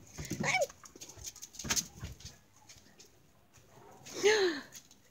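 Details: Seti, a pet Cairn Terrier, plays keep-up with a balloon and lets out two short, high, arching whines, one near the start and one about four seconds later, with rustling, knocks and light thumps in between.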